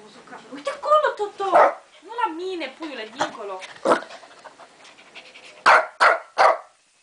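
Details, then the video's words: Pet Shih Tzu barking at lions shown on TV, against wildlife narration: a few scattered barks early on, then three sharp, evenly spaced barks near the end, about half a second apart. "Shih Tzu watching TV and Barking"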